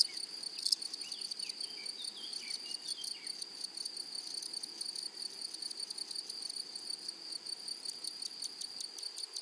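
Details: Grasshoppers in a flowery meadow: faint rapid high-pitched raspy pulses over a steady thin high hum, with a few soft whistled bird notes early on.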